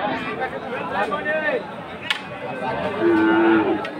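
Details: Friesian or crossbred bull calves at Aftabganj cattle market in Dinajpur, Bangladesh, on Saturday 11 March; a short rising lowing sound, then a steadier drawn-out moo, amid market chatter and background music.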